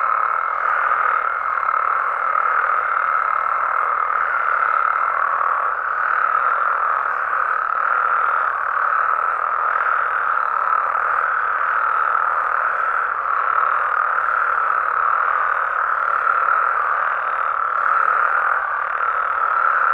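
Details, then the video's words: Mexican frogs and toads calling together after dark in natural surroundings; overlapping trilled croaks form a steady, even roar with no gaps, and a thin sustained tone fades out early on. "Mexican Frogs & Toads Sounds"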